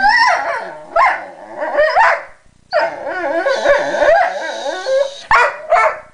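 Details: Pet dog crying over a guarded chew after another dog took a piece; sustained warbling, rising and falling whines with brief yips, nearly continuous, with a brief lull midway.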